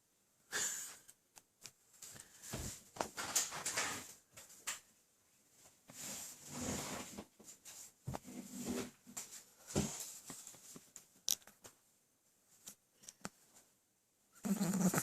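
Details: A Boston terrier with a full tummy, napping on a lap, snores in wheezy, snorting breaths that come and go irregularly.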